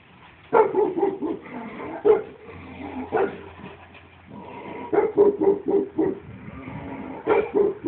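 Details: A 15-year-old Shar Pei dog barking: hoarse, broken barks in uneven bursts, clustered around half a second, two seconds, three seconds, five seconds and seven seconds, with softer grunting sounds between.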